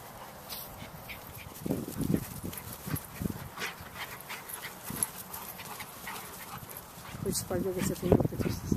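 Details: Playtime in November 2013 for Black Russian Terrier mother Sadie and daughter Yara with a Chihuahua and a young terrier; scattered gruff, throaty grumbles and short rough vocal bursts mix with human speech, building to a harsher growling flurry toward the end.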